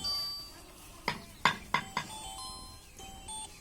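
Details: Soft chiming tones and four sharp clinking knocks are heard in a quiet room, with no animal calling.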